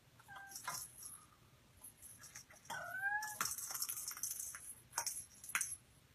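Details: Small cat among many living together indoors: two short high mews, the first near the start and a longer bending one about three seconds in, amid tapping and clattering sounds.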